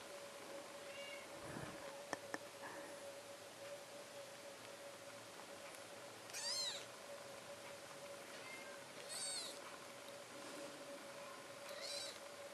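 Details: Four-day-old British Shorthair kittens at the Amazing AISHA cattery in Poland give a few faint, high, arching mews spaced a few seconds apart, over a steady low electrical hum and quiet rustling.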